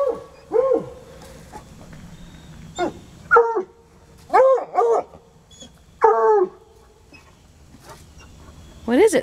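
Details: Two coonhounds baying at a raccoon hiding beneath a car; separate short arching howls every second or so with quiet gaps, a few brief sharper yelps between them.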